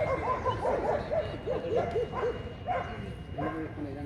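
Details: German Shepherd at the VSM 2020 Vietnam German Shepherd Dog Show, open class for males over 24 months, held 5 January 2020; a quick run of short, mid-pitched barks and yips over a ring announcer's speech.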